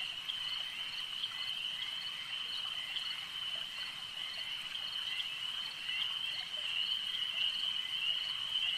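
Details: Frogs at a lake forming a constant shrill chorus, a steady high ringing tone with loose pulses about one and a half per second, growing a little louder toward the end.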